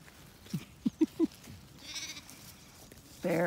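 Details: Ewes and lambs settling in a pasture on a regenerative farm in County Kilkenny, Ireland; a few short low grunting calls, then a loud, harmonic bleat bursts out at the end against quiet field background.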